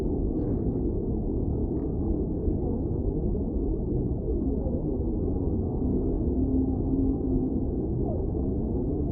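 A whale sings low, drawn-out moans and a brief rising note over a steady underwater rumble.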